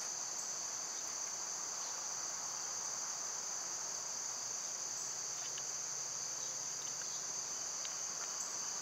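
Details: Cicadas in summertime hold an unbroken, even, high whining drone, with a few scattered faint ticks and no other clear voices.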